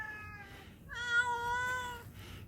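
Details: Mother cat on a mountainside in Yangpyeong, reacting after a puppy took her snack: a soft short meow, then a loud, drawn-out harmonic meow lasting about a second, steady and slightly falling at the end, indoors.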